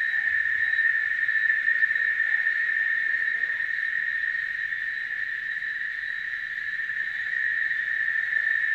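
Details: Cicada chorus: an intense continuous buzz, even and unwavering, droning without a break, while faint little bird notes flick in the background.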